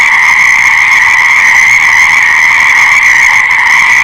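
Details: Massed frog calls forming a constant, high-pitched ringing drone, individual voices lost in the steady wall of sound over a few seconds.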